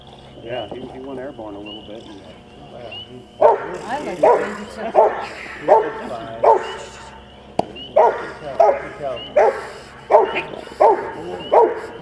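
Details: At a bitework session dated 15 April 2009, Max, a Rottweiler puppy aged 10.5 months, starts with softer whining sounds, then gives a steady run of about eleven loud, gruff barks, roughly one every 0.7 seconds.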